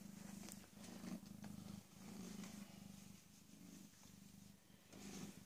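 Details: PeeWee, a rescued female cat about 18 or 19 months old, spayed the previous Thursday and kept in a room to recover, purring: a steady low rumble broken by brief breath pauses every second or two, with faint rustling.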